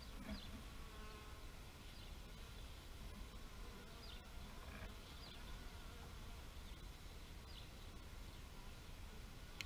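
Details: A low, continuous bee hum fills the air, with a short stronger buzz near the start and scattered thin, high bird chirps repeating in the distance.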